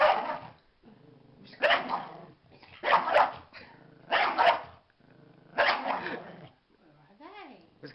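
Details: Dog barking in harsh bursts about every second and a half, with low growly sounds between barks and a rising-falling whine near the end.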